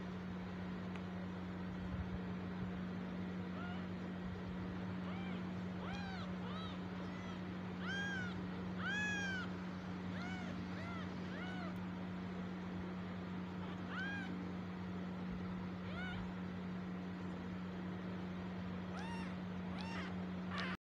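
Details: Tiny abandoned stray kitten crying after its mother left it alone: a long series of thin, short meows, clustered and fairly soft, repeated every second or so, over a constant low hum and faint traffic-like noise.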